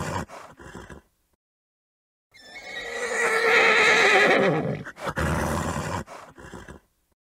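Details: A horse gives a long, quavering neigh, with short breathy snorts before and after.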